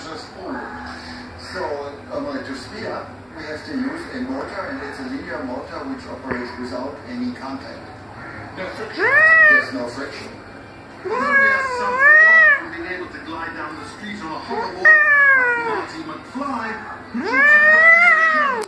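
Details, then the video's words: Irritated pet tomcat giving four loud, drawn-out meows in the second half, each a harmonic-rich wail that rises and then falls, spaced a few seconds apart; human speech fills the first half and continues faintly between calls. "My irritated Tomcat"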